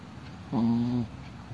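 A sleeping Chihuahua gives a single low, droning snore lasting about half a second.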